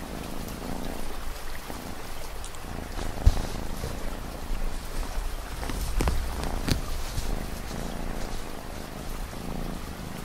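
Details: Cat purring in a low, steady, throbbing drone under a constant wash of falling rain, with a few sharp raindrop taps standing out.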